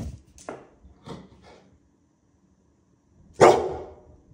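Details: Pit bull named Willy reacting warily to a toy dinosaur with a lollipop, unsure whether to play or flee; a few soft huffing barks followed after a pause by one loud, forceful bark.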